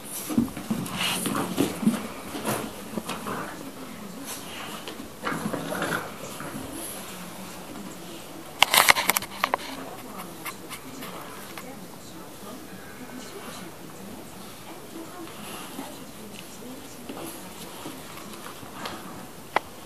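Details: Two Old English Bulldogs, one 11 weeks old and one 20 months old, playing tug of war indoors; low scuffling growls and soft whimpers over thumps and patter, a sharp burst near nine seconds, faint voices in the room.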